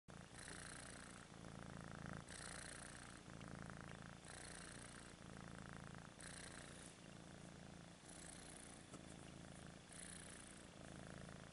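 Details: Happy little cat purring: a soft, low continuous rumble with gentle pulsing swells, set against a steady hiss of broadband background noise.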